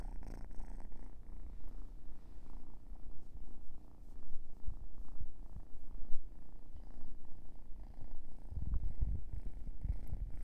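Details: Yawning sleepy kitten giving a deep, rattling purr, throbbing roughly once a second in irregular surges, with a louder burst of rumbling near the end.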